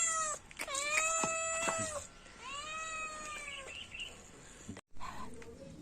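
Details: Cat producing clear, long, harmonic meows, each rising then falling, three or four in quick succession, followed by a brief gap and fainter low sounds.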